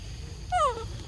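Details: A young monkey at Sovana, excited while waiting for breakfast and fruity treats, gives one brief clear tonal call that slides smoothly downward, over a quiet background hum.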